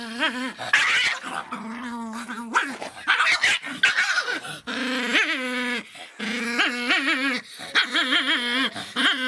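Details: Feisty Miniature Pinscher giving a near-continuous run of high, tonal yelps and drawn-out whining barks. The barks waver and bend up and down in pitch, with brief gaps between the louder bursts.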